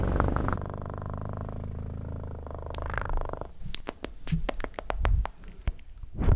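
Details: A cat purrs in a low, even rumble for roughly three seconds, followed by a string of crisp clicks and taps with fainter rumbling between them.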